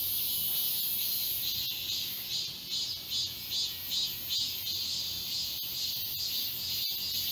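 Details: Cicada chorus in the woods of Galsan Park, Yangcheon-gu, Seoul, in summer: loud, steady high buzzing beating in regular pulses about twice per second, with occasional sharp clicks.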